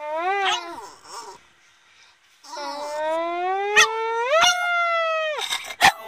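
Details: Singing Boston Terrier: a short falling howl, a pause, then a long sustained howl that rises slowly and steps up near the end before breaking off, with a few sharp clicks.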